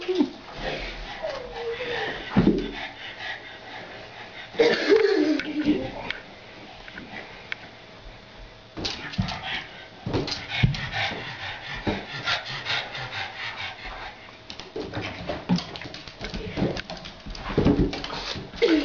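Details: Pug named Otis playing with a balloon indoors; several short whiny yips with falling pitch come between squeaky balloon rubbing and scratching, with a person's voice speaking.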